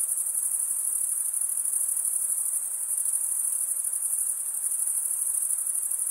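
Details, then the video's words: Crickets chirping by stridulation, mostly males: a bright, continuous high trill with gentle rhythmic pulsing over quiet hiss. "Most relaxing cricket sound for 8 hours"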